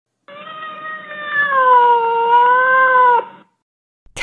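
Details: Cat giving one long, drawn-out meow of about three seconds. It is a steady, harmonic wail whose pitch wavers gently and dips slightly before it ends abruptly, followed by a brief click.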